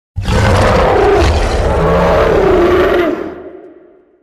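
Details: Tiger roar: one long, loud, rough roar lasting about three seconds with deep rumbling undertones, then fading away.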